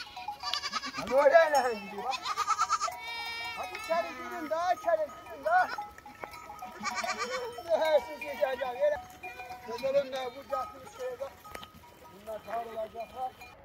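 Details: Several lambs bleat in a busy stretch, with a run of loud wavering bleats early on and more scattered calls later, some overlapping, over steady background tones and a low murmur of voices.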